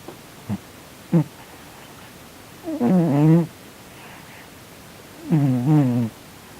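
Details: Sleeping pet cat Sonny, snoring and twitching in an apparent bad dream indoors, makes short low grunts followed by two drawn-out wavering moaning whimpers, each about a second long, with quiet room background.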